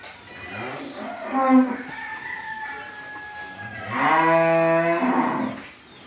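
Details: Jersey cross cow, nine months pregnant and due with her third calf, kept on a dairy farm in Pabna, Bangladesh; an earlier wavering moo is followed by a loud, long, steady moo of about one and a half seconds.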